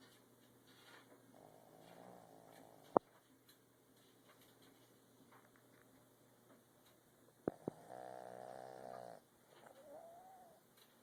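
A Boston Terrier snores in soft, rasping breaths, with a few sharp clicks between them.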